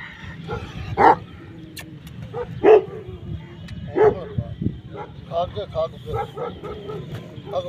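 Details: Bully Kutta from Pakistan barking three loud separate barks early on, then softer, quicker barks mixed with human voices and a low background hum.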